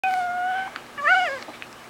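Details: Puppy dog howling indoors: two short tonal notes, the first held steady, the second rising then falling, with faint room noise between.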